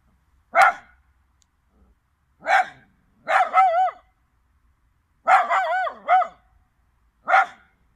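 A Chinese Crested dog gives sharp single barks mixed with longer wavering, rooster-like crowing yowls, about one burst every two seconds. Otherwise quiet.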